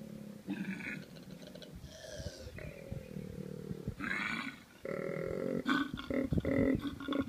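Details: Male and female koalas in mating season: deep rasping bellows and grunts from the male alternate with harsh screeching bursts, with a faint voice in the background.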